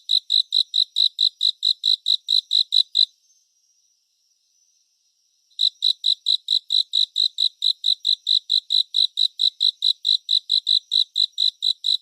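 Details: Cricket sounds in 3D surround, meant for relaxation and sleep. A steady train of high, crisp chirps at about four per second runs for three seconds, stops for about two and a half seconds of silence, then resumes evenly.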